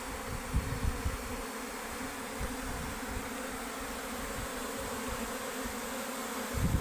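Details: Continuous buzzing from many worker honey bees leaving home, a level, humming drone with irregular low thumps and a swell of rumble at the very end.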